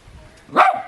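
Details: Budi the westie, a pet West Highland White Terrier that loves to talk with his owner, gives one short, sharp, yelping bark that follows a faint, quiet lead-in.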